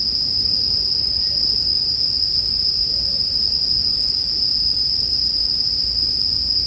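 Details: Bell crickets ringing together in one constant, piercing high tone that never breaks, over a quiet low rumble; a single faint tick stands out near the middle.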